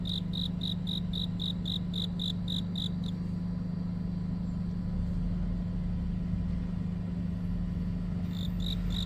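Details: Cricket chirping on a deepening autumn night: a rapid series of short, high, even pulses for about three seconds, then silence, then a few pulses return near the end, over a constant low engine hum.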